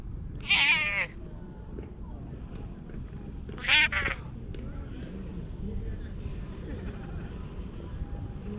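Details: Stray tuxedo cat, very unwary of people, being groomed with a cat brush, filmed on a GoPro; two clear meows near the start and again after three seconds, with a faint low background hum.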